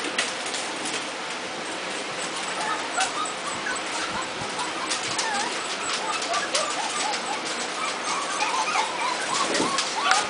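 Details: Month-old puppies in a lively group keep up a busy chorus of thin, squealing whimpers and little upward yips, roughly two a second, with a brief human voice near the start and a constant hiss.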